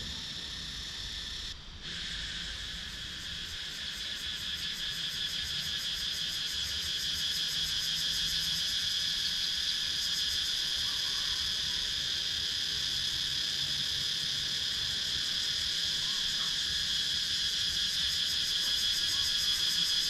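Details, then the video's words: Cicadas in wooded countryside at Sakon Nakhon, Thailand, recorded on a GoPro Hero 9: a steady, shrill, high buzzing chorus with fine rapid pulsing that holds unbroken throughout and swells slightly louder after a brief dip near the start. "Cicadas Sound"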